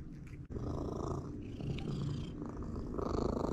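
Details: Domestic cat purring while eating raw food indoors; a steady low rumbling purr fills the clip, with soft wet chewing and mouth sounds on top.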